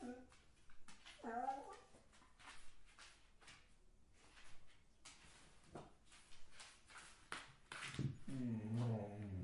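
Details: Dog whining: a high, wavering nasal whine near the start, then scattered soft snuffles and thumps, ending in a longer whine that rises and falls with a strong tone.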